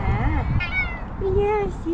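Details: Hungry cat, one of a calico and ginger pair begging for food, gives short bending meows, then a level drawn-out mew, while a person asks whether it wants food.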